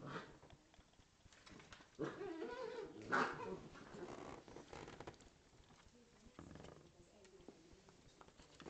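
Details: A Corgi and a Scottish Terrier at play, one dog giving a low, rumbling growl that swells in the middle seconds and then fades, mixed with scuffling, paw patter and a brief human voice.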